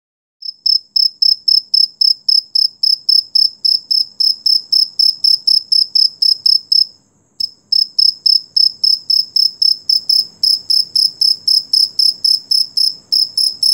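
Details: Beetle calling at night, described as rare: loud, very high, buzzy chirps pulsed steadily about four times a second. The chirps break off briefly near the middle, then resume with a faint low rumble underneath.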